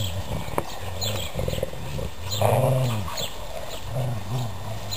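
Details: Two pet dogs growl while playing tug of war with a sock; low rumbling growls with harmonic bands come in bursts of about a second, while outdoor birds chirp steadily in the background.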